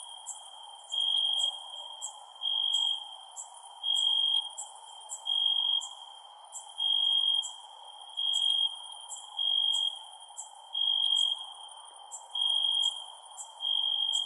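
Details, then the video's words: Crickets calling at night, with a bright, steady high trill pulsing on and off about every 1.3 seconds in a regular rhythm. Rapid higher ticks run through it over a faint, even hiss. "Cricket Sounds @ Night"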